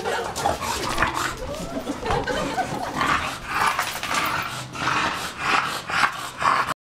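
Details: Two pet dogs, an English Bulldog and a Bull Terrier, playing together indoors; rough, breathy growls and short gruff bursts come in irregular clusters, roughly two a second, with faint human speech in the background.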